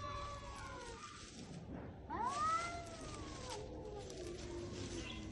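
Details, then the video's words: Stray cats squaring off in a springtime fight: a wavering yowl, then a sudden loud rising-falling howl that sweeps up sharply and sags, trailing into a lower moan, with low background hum. "Cats fight - Spring is here!"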